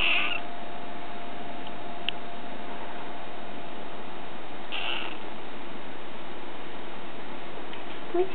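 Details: Bengal kitten meowing after a nap indoors: a short, high, bright meow right at the start and a second brief meow near five seconds, with quiet room hiss in between.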